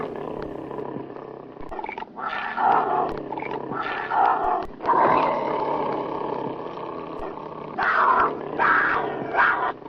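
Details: Tigers fighting, angry: a continuous stream of harsh snarling growls with louder rasping surges near three, five and eight seconds, never fully silent.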